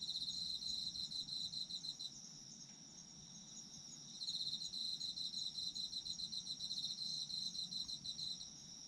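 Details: Autumn insects: a shrill, pulsing trill for about two seconds, then a quieter stretch with only a constant high ringing drone, before the pulsed chirping returns strongly and continues to near the end.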